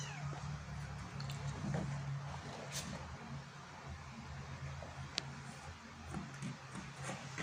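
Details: Kitten trying to climb out of a hole, giving low, drawn-out meows in the first two seconds, then quieter, over steady low hum and scattered rustling and scraping clicks.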